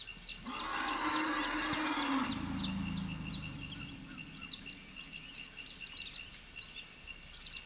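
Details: Excited African elephants at a family reunion, mother Jamila, aged 38, with her year-old daughter and juvenile son: a loud, low, rough call about two seconds long sliding into a deeper rumble, followed by soft background bird chirps.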